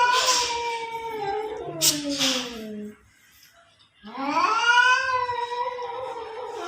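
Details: Cats fighting in front of a house: long, wailing, harmonic yowls that slide downward, then a second of silence before another drawn-out rising-then-falling caterwaul.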